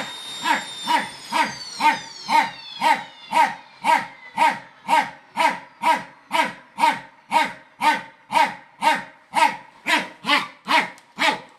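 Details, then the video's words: Indoor barking from Rek the fox terrier against a Samsung hoover: even, evenly spaced barks about two per second while the machine's whine falls in pitch and fades early on. "Fox terrier Rek vs. Samsung The Hoover"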